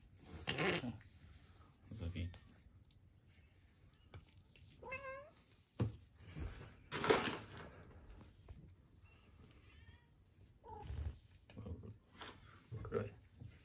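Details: Kuroe, a black female cat with congenital heart disease, once fearful of people and living indoors under care, gives a farewell greeting: one clear wavering, bending meow midway and a fainter meow later, amid soft human speech and household rustles.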